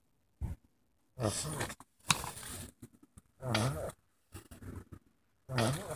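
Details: Sulcata tortoises mating in spring: a series of hoarse, low, groaning bursts, each lasting about half a second to a second, repeating every one to two seconds with short silent gaps between.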